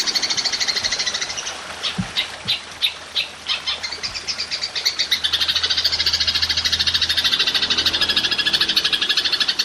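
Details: High, shimmering pulsed buzz of a golden grasshopper used to tutor songbirds; the stream starts steady, shifts into a series of louder separated clicks, then settles back into a fast even rattle.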